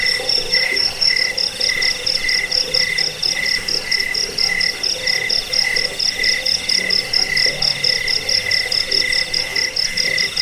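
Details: Chorus of crickets, played to repel rats and for bird song training, giving quick rhythmic pulses of high-pitched chirping, a little over two per second, against an unbroken ringing trill.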